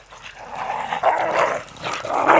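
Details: Black and white Border Collies playing in the snow, a long rough growling whine rising and falling for over two seconds while a person urges them on.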